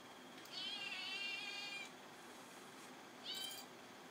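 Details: Red Point Siamese kitten indoors, wanting to cuddle a Great Pyrenees that is trying to nap: one long, wavering, high meow lasting over a second, then after a pause a second, much shorter meow.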